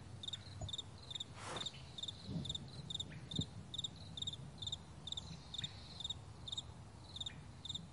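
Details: Crickets on a vast meadow in the morning, giving short paired high chirps repeated about once a second in a loose rhythm, with a brief broadband rush and soft low rumble beneath.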